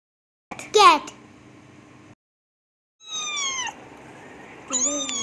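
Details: Domestic cat, real recorded sound from a children's animal-sounds lesson; a short sharp cry, then two drawn-out meows with strong harmonics, each sliding downward, separated by a pause of about a second.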